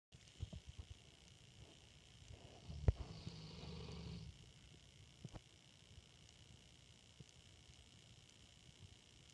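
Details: Gemma, a female English Mastiff, asleep in a dark room, gives a single low, rough snore lasting under two seconds mid-clip, surrounded by near silence and a few faint clicks.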